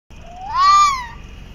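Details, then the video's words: A small red fox that had crossed the road in Chippawa, near Niagara Falls, sits on the curb and gives a single drawn-out scream or cry that rises, swells, then sinks away. "Red Fox Screaming"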